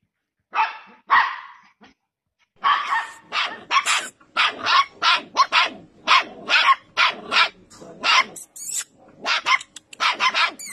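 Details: Samoyed puppies barking: two separate harsh barks, a short pause, then a fast run of around twenty sharp, noisy yaps in irregular bursts over roughly eight seconds.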